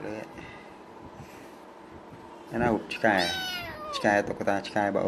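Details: Pet kitten refusing to share its pillow with its doll lets out a long, loud meow that rises then slides downward, followed by shorter meows, with human speech in a small indoor room.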